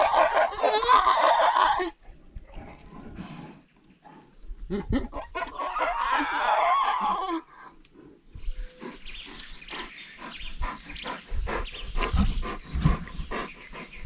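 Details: Andean bears, also called spectacled bears, squabbling over food while feasting on treats: two long bursts of harsh, raspy squealing, separated by a quiet gap, then scattered lower grunting and scuffling noises.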